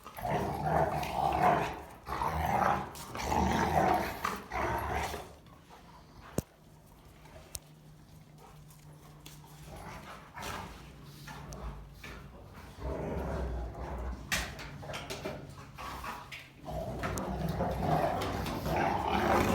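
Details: Three Rottweilers growl and snarl in rough bursts while play-fighting, with quieter pauses between; a female trying to rest and chew is pestered by the other two and tells them off.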